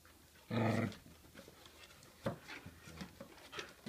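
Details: A 10-week-old whippet puppy playing tug indoors with an older whippet, using an octopus toy. A single loud, rough, harmonic growl lasts about half a second, then quieter panting and scuffling sounds follow.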